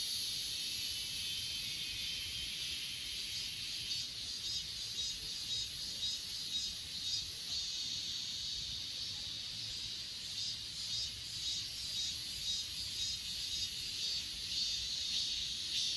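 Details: Continuous high, hissing chorus of grass insects at Achasan mountain, captured with an S20 Ultra phone; faint rhythmic pulses ripple through the steady buzz, slightly louder at the start and fading a little midway.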